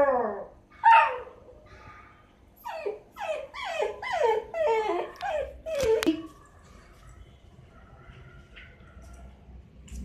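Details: Night-time crying from a six-month-old Miniature Dachshund puppy that wants to go outside: a few rising whimpers, then a quick series of short falling yips, a single click, and quiet afterward.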